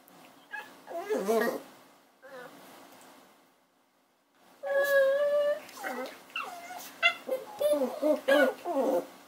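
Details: Puppy whimpering indoors: thin, wavering tones, then a quiet pause and a burst of rapid, sharp, rising-and-falling cries repeated several times a second, with human voices faintly mixed in.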